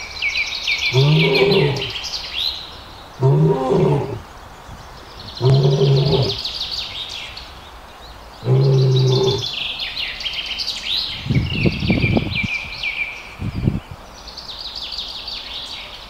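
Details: Lion roaring in four deep, rough bursts about two seconds apart, each lasting around a second, while birds chirp and twitter steadily at high pitch throughout; a few low thumps follow near the end.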